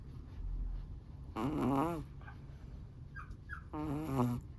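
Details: Snoring from a sleeping Chihuahua: two nasal, wavering snores, each about half a second, with a whistling, squeaky edge. A quiet pause with faint low breathing separates them.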